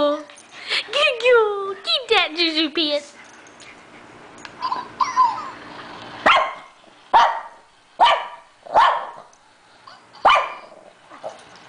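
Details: A three-year-old female Shih Tzu chases her toy hamster. A person giggles and talks at first, then the dog gives five short, sharp barks about a second apart.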